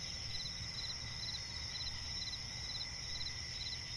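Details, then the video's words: Cricket chirping at night in a forest near a swamp: short, high pulsed chirps repeated about twice a second over a steady high insect whine and low background rumble. "cricket chirping relaxing sound in night forest"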